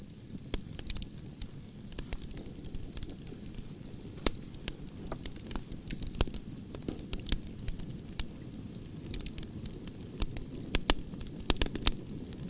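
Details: A continuous high, beaded cricket trill holds one pitch throughout, while campfire crackles and snaps sound over a low rumbling fire.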